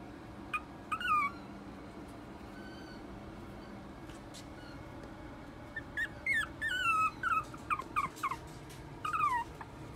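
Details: A teacup Poodle x Maltese mix puppy gives high, thin whimpers that slide downward, in short bursts.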